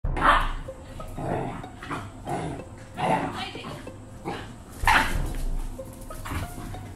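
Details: Rottweiler x Jack Russell dog. Cross-bred Rottweiler and Jack Russell puppies trade gruff growls and sharp yaps while fighting. The noisy bursts come every second or two, with low scuffling sounds in between.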